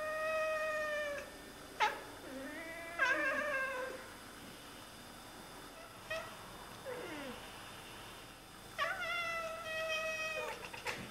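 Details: Two Oriental Siamese cats chatter at birds they are watching, giving long, nasal, bending meows mixed with short chirps and clicks.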